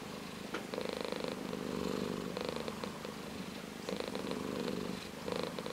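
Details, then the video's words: Ginger tabby cat purring close up, a grainy low rumble rising and falling with its breathing in roughly one-second phases, otherwise quiet. "ゴロゴロ茶トラ Purr of a cat"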